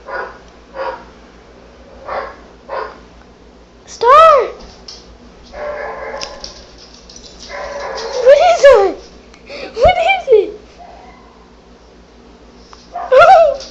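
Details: Female dog indoors, frightened by barking noises played on an iPad, gives several rising, high whining yelps with bright overtones, scattered between a woman's coaxing speech and short thumps.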